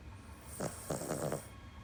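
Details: Cavalier King Charles Spaniel named Paco, napping at midday on 22 October 2019, gives a loud snore: a short run of rough, breathy snorts under a steady hiss.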